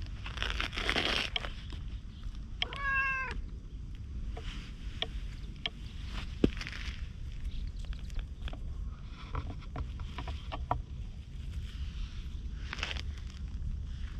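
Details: Orange tabby community stray cat, recorded on a GoPro, chattering as it follows after being briefly petted: one clear, harmonic meow of about half a second. Footsteps, rustling and low background rumble surround it.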